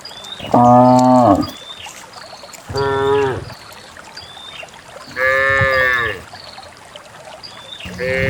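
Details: Herd of cows led down a green hill to fresh valley pasture, mooing repeatedly, four low drawn-out calls spaced roughly two to three seconds apart, while small birds whistle and chirp in between.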